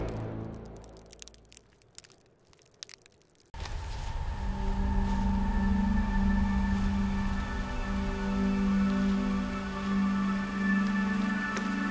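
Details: Crackling noise gives way to a steady, humming musical drone with no animal voice. No calls stand out anywhere in the recording.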